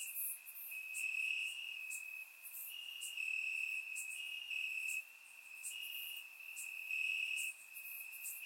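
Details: Grass crickets on a warm Bulgarian summer night: a persistent shrill trill wavering between two close pitches, layered with short, piercing upper chirps arriving in loose rhythm, volume swelling and dipping.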